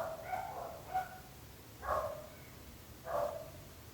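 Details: A dog barking, as heard from a neighbour's home: four barks spread over four seconds, each a short burst with stacked harmonics, set against a low steady hum.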